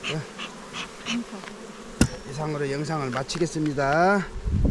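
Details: A loud, steady hum of honey bees at a hive on Jirisan, Korea: a low buzzing drone that wobbles up and down as the insects circle close, after a sharp tap, with softer scattered buzzing before it.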